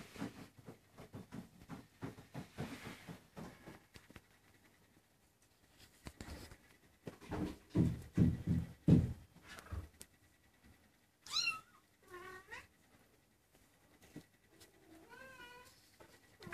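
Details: Maine Coon kittens, 23 days old, indoors; after a stretch of rustling and handling noise come a few thin, high mews that arch up and fall away, two close together and one more a few seconds later.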